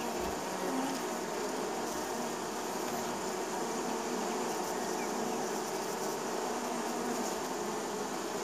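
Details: Neighbourhood honey bees in spring, many of them buzzing as they land at their hive: a steady, dense, droning hum with layered tones that holds an even loudness from start to end, with no pauses or other clear sounds.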